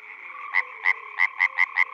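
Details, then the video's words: Czech pond frog in spring giving six loud, clipped croaks in quick succession, spaced about a quarter second apart, over a faint background chorus of other frogs. "European frog calls"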